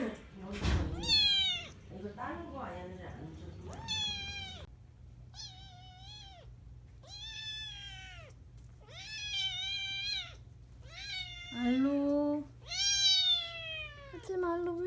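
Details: Persian Chinchilla kitten indoors giving a long series of high harmonic meows, each about a second, some rising then falling, about eight in fifteen seconds, with a person speaking softly between calls.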